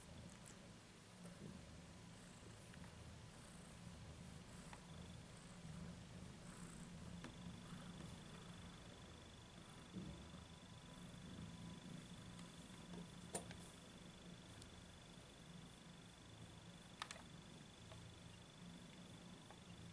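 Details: Pet cat purring steadily for a long stretch, a deep rhythmic rumble pulsing on each breath, with a faint electrical whine and two sharp clicks in the background.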